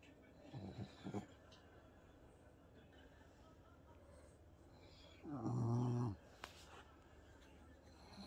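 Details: Indoors in a home office during TV time, Bob the French Bulldog chats to his owner with grunts: a couple of short low snorts early, then a longer droning, tonal grunt lasting under a second.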